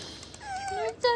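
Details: Female pet otter kept indoors, being babied by its owner: a thin tonal squeak that glides high then settles lower, layered with faint harmonics, ending in a sharper, louder short squeal in a small quiet room.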